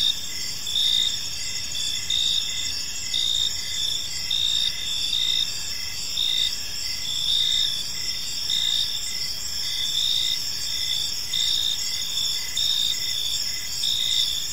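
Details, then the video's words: Crickets chirping in a peaceful park as evening unfolds, a dense high chorus with steady shrill trills and pulsed chirps repeating about once a second over a continuous insect hum. "Park Serenade: Cricket Sounds in a Peaceful Park | Evening Ambience"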